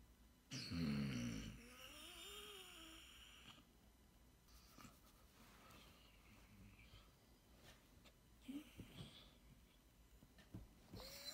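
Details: A female Basset Hound, in the morning, lets out a deep throaty groan and then a wavering whine, frustrated that the petting stopped.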